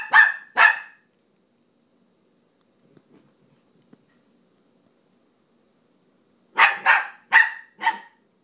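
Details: Nano, a pet dog playing on a couch, barks at another dog named Brio, who seems not to care: two sharp barks, a quiet pause with faint rustling, then a burst of four quick barks.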